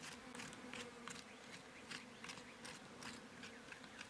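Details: Wild honey bees on a mountain in rural Iran while their hive is cut from a bush; a low steady hum runs throughout, broken by frequent brief crackling bursts of bees passing close.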